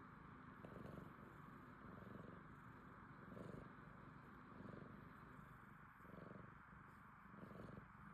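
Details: Relaxed domestic cat purring and snoring, a soft low rumbling pulsing in slow cycles about every 1.4 seconds, each swell followed by a quieter breath, with steady faint background hiss.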